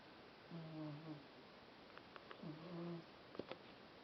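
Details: Cat lying sprawled in the sunshine and snoring loudly: two low, buzzy, slightly wavering breath sounds, each under a second long, with a few sharp clicks and a faint murmur of voices nearby.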